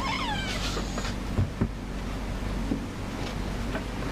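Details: Shy new house cat, kept hidden, meowing to ask for cuddles: a short wavering meow at the very start, then low background rumble with a few soft knocks.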